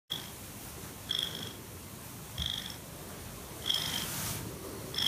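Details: Bailey, a foster cat at Cat Town in Oakland and a big cuddler, purring up close: breathy rhythmic pulses about every 1.3 seconds, each with a thin whistling nasal tone, over a steady low rumble indoors.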